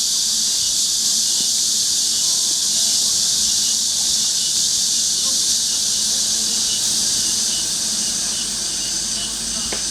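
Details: Cicadas fill a summer afternoon at Mujinjeong, 2 August 2021 about 1 pm, with a continuous high, hissing drone, steady and unvarying throughout, over a faint low hum.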